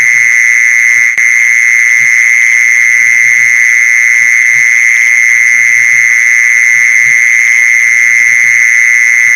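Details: Lure sound of a mole cricket: an unwavering shrill trill held at even volume, a brief click near the start, and scattered faint low thumps beneath.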